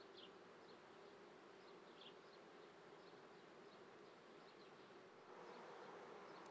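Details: Honey bees in an apiary near Treviso, Italy, recorded at 9:30 am on 22 May 2010 in swarming season: a dense, steady hum with a low drone band, thin high chirps from other birds above, swelling slightly near the end.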